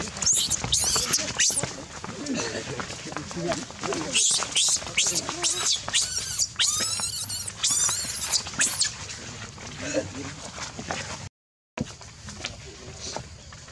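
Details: Loud crying from a baby monkey, piercing high-pitched wailing screams in quick repeated arching bursts through the first half, easing into softer scattered whimpers with voices in the background.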